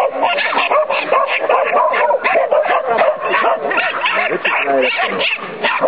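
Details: Irish Terriers Sonny and Jerry during training, giving rapid, excited barks and high yips in a dense, unbroken stream, one bark tumbling over the next for six seconds.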